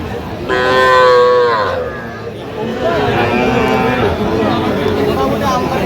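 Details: Sahiwal cattle at a busy cattle market on 4 October 2025: one loud, drawn-out, harmonic moo lasting just over a second, then fading, with constant crowd chatter and market bustle throughout.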